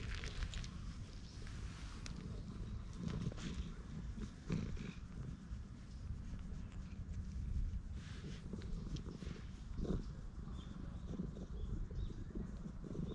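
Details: Stray cat in a park purring while being patted and stroked, recorded on a GoPro HERO8: a steady low rumble runs throughout, overlaid by rustling and handling noises from the stroking.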